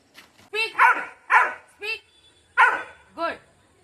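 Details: Labrador named Lucky during obedience training, giving a run of short, harmonic barks and yelps, five or six in under four seconds, with a trainer's voice giving commands nearby.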